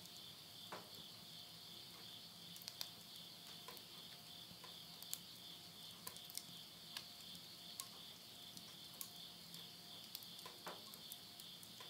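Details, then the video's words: Midnight countryside insects in Tottori's Yurihama, Japan, September 2020, end of summer: a continuous ringing high buzz, dotted with irregular crackles from a wood fire burning in a stove. "the voice of insects"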